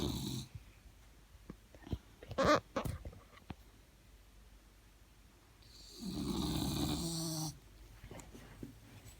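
A French bulldog gives long, rough snores, each a low, rattling rumble with a hissing edge, separated by quiet pauses. A few faint clicks and shuffling noises are heard between breaths.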